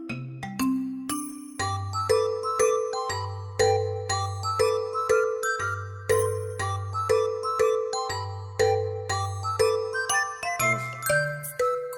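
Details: Bright glockenspiel and marimba melody plays at a steady lullaby-like pulse, with low bass notes beneath and no animal voice.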